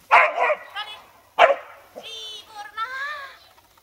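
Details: Dog at a treibball session: two loud, sharp barks about a second apart, followed by a human voice and higher harmonic vocal sounds.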